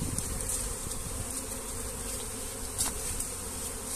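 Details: Honey bees buzzing loudly in a thick, low drone as their comb is carried by hand into a hive box, with brief handling clicks.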